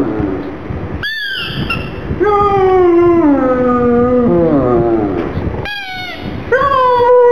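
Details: Gong Fu, a black pug, cries mournfully over a little ball. A sustained whine glides slowly downward over several seconds, followed by shorter high cries that level off.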